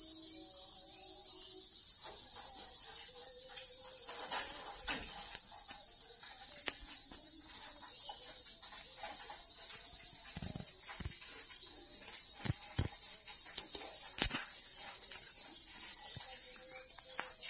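A dense chorus of crickets fills the air with a continuous, shrill trill, pulsing slightly as it rings on without pause. Occasional soft knocks and clicks break through underneath.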